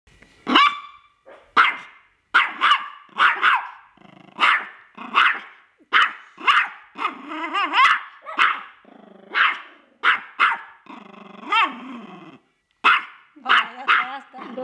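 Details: Angry small toy poodle barking indoors; sharp, high, yappy barks in quick bursts of two or three, mixed with snarling growls between them, continuing steadily for fifteen seconds.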